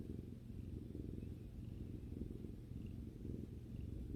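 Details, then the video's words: Cat purring contentedly while lounging with its owner: a dense low buzzing rumble of rapid pulses, steady and unbroken, with faint soft ticks in the background. "さくらさんのゴロゴロ音を聴きながらまったりする動画 Video that relaxes while listening to the cat's rumbling sound"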